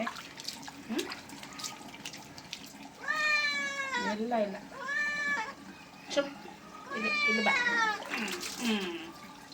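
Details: Pet cat complaining during a bath, giving three loud, stretched meows with bending pitch, separated by short pauses, over running tap water and a person's voice.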